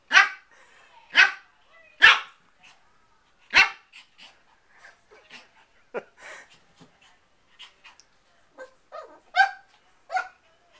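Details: Four-month-old male Shih Tzu puppy barking at his reflection in a mirror: a run of sharp, high yips, four loud ones in the first four seconds, then softer scattered yaps and snuffles, a few louder barks near the end.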